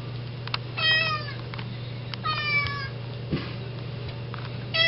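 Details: Indoor cat sitting at the front door meowing endlessly to be let out for grass; two clear falling meows with rich harmonics and a shorter one at the end, steady low hum and small clicks behind.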